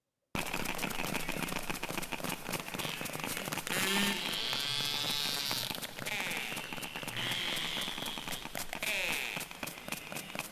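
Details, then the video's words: Underwater recording of narwhals: a rapid, crackling stream of clicks with rising, squealing whistles over it. "So this is what narwhals sound like."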